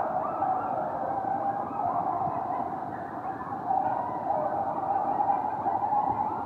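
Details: A coyote pack howls close in a backyard, waking the recorder; wavering, overlapping voices rise and fall in a steady group-howl chorus.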